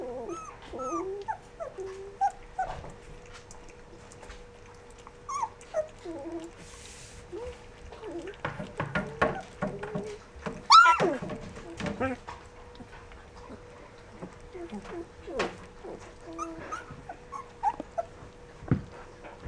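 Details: Rough Collie puppies, 14 days old, giving a busy mix of squeaky whimpers and short yelps, rising and falling, with louder bursts around the middle; a steady low hum runs underneath.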